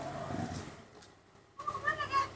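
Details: Newborn baby monkey being taught to eat papaya outdoors under a tree, in fresh air; a high, thin, tonal cry with bright harmonics wavers through the final second, after a soft low murmur and background noise.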